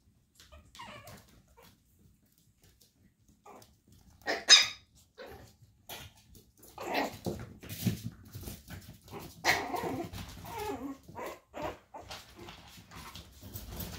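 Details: Chihuahua puppies, brother and sister, in a litter of four; one sharp, high bark bursts out about midway, then soft yips, rustling and a human voice fill the rest.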